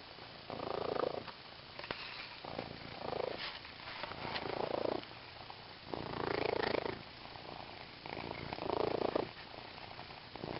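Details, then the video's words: Female house cat purring while playing with a green fish toy, recorded close up; loud rhythmic purr in breathing cycles, louder bursts roughly every one and a half seconds over a constant low rumble. "Purring Cat"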